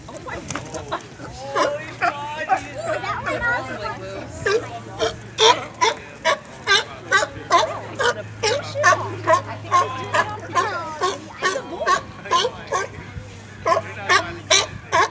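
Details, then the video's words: Sea lions barking and playing at Oceanside Small Craft Harbor fishing pier on March 12, 2021 give a rapid, overlapping chorus of harsh, honking calls, with people talking nearby. "Sea Lions barking at Oceanside Harbor"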